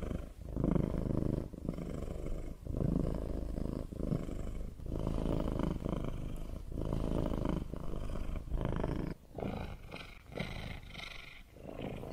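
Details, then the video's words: Domestic cat purring: a low, steady rumble in repeated blocks of about a second, broken by short breath pauses. The later purrs carry a rougher, hissier edge. "Cat purring sound for one hour"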